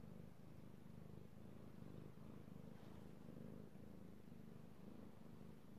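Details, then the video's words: Io, a male pet cat, purring while being petted, recorded 16 March 2018; a steady low rumbling purr with rhythmic pulsing bands, continuous throughout with no other clear sounds. "Petting Io the Kitty Cat / ASMR Cat Purring"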